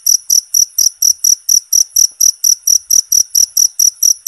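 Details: Cricket chirping, recorded for training songbirds: loud, constant high-pitched pulses repeated steadily about four times a second, each pulse a bright, sharp trill with no other sounds.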